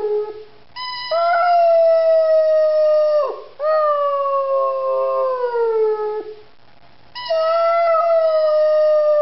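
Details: Three-year-old Rhodesian Ridgeback named Zari howling in long drawn-out notes, rich in overtones, that slowly fall in pitch, with short pauses between three extended phrases.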